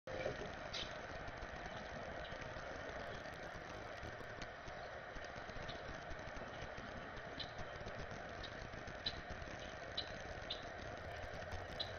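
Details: Steady traffic-like rumble and broadband noise with a few faint clicks; no clear animal voice stands out.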